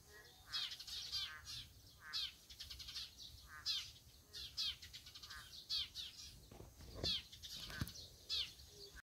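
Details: Boreal digging frogs calling in chorus with quick, twanging notes in irregular bursts, and a few sharp handling thumps and crackles in the second half.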